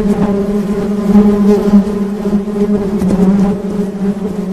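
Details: A short burst of honey bee buzzing: a steady, deep hum with overtones, swelling slightly in the middle and wobbling faintly in pitch.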